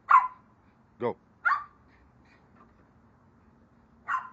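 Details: Onyx and Moka, a larger and a smaller dog, chase each other in play. A few short, sharp barks come in a loose cluster, then a pause before another bark, with a faint low rumble behind.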